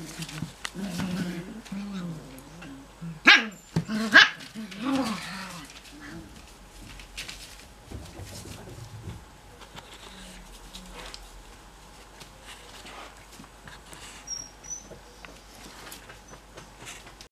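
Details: Cocker Spaniel puppies not yet ready for bed: whiny vocalising at the start, then two sharp, loud barks close together, followed by softer scattered yips and rustling over a low indoor hum; a human voice may be mixed in.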